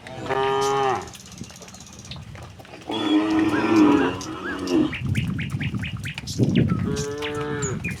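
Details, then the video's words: Tame cattle walking together from the neighbouring village toward their pen give several moos: a clear one at the start, a rougher, noisier one in the middle, and another near the end, with low rumbling and clicks between them. "suara sapi moo"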